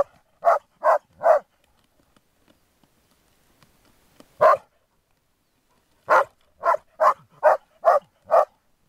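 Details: Groenendaels in resource-guarding play give three quick barks, a single bark after a pause, then a burst of six rapid barks.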